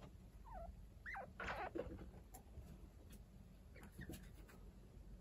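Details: Pet chinchillas at home: week-old kits being tended by Kaito, an unrelated adult. A few short, sliding squeaks fall in pitch early on, with soft scuffling and room hum in between.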